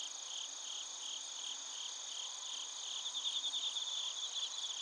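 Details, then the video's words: Chorus of crickets and bell crickets in Narita, Chiba, Japan, captured with a TASCAM Portacapture X8; continuous high-pitched trilling layers, with a louder pulsed chirping run rising in the last two seconds. "スズムシとコオロギの鳴き声 - Chirping of crickets"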